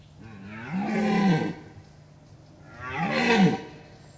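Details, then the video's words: A red deer stag with fine symmetrical antlers, approached closely from a ditch in Gemenc, Hungary, roars twice during the rut: deep harmonic bellows rising and falling, each about a second long, two seconds apart. "Szarvasbőgés Gemencen (kiváló agancsú szarvasbika)"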